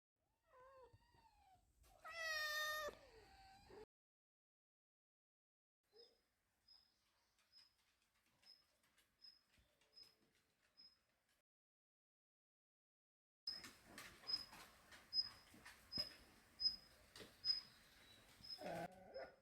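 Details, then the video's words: Pet cat reacting to sounds, giving one long loud wavering meow with strong harmonics, then quiet, then a regular high ticking or chirping series with faint soft calls and a final short meow. "소리에 반응"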